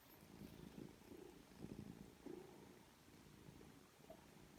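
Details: Foster kittens at three weeks old with their mother in a rescue home; deep purring pulses in uneven bursts, with a short high squeak toward the end.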